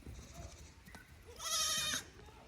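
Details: Young goats on a pasture visit at Yoshigake goat farm, Japan, 15 May 2024; one strong vibrating bleat after a second of low murmuring background noise.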